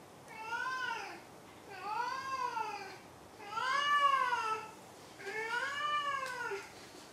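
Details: Maru, a domestic cat, meows four times in a row, each call an arched rise-and-fall lasting about a second with roughly a second's pause between. A small room is quiet apart from the cat.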